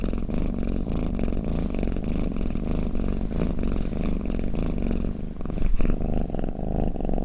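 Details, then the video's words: Purring, snoring pet cat used to lull other cats: close, continuous low throbbing purr in rhythmic breathing cycles, a brief louder swell near the end, quiet indoor setting otherwise. "เสียงแมวกรน เปิดให้แมวฟังเคลิ้มๆไปเลยค่ะ | Snoring Cat"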